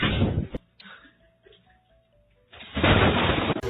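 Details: Loud broadband bursts like thumps or blasts bracket a quiet stretch with faint low hum; no animal voice.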